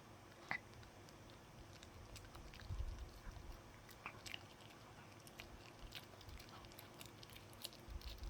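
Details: A dog gnawing on a dog chew indoors, a string of soft crackling bites and crunchy clicks spaced irregularly over low room hum, with one firmer crunch near the middle.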